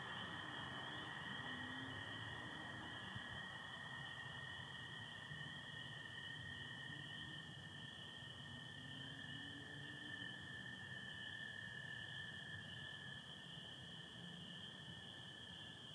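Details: Spring peeper chorus with American toads on a Michigan spring night, 24 April 2025, under stars with some overcast: a dense, unbroken high-pitched peeping wall and a steady lower toad trill continuing throughout, with faint low murmurs underneath.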